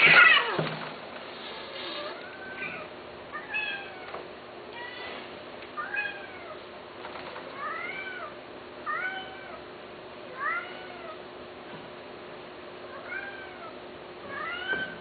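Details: Cats offered for sale mewing repeatedly, short high arched meows coming every second or two, some rising then falling, over a quiet steady background hum.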